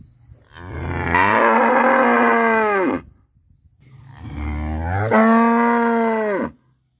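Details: Cow in a village in Bangladesh, part of the daily routine: two long, loud moos, each starting low and rising into a rich, harmonic bellow of about two seconds before cutting off, with a short silence between them.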